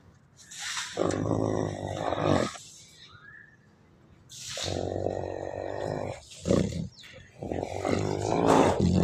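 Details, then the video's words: Wolfdog voicing long, rough, roaring growls in three main bouts, with a brief rising whine-like tone in the first quiet gap and shorter gruff bursts toward the end. "wolf Dog sound"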